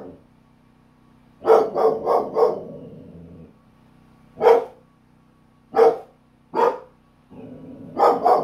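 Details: Belgian Malinois dog aimed at a tiny lizard, giving a rapid burst of four barks, then single sharp barks a second or so apart and a closing double bark, with a low steady background hum.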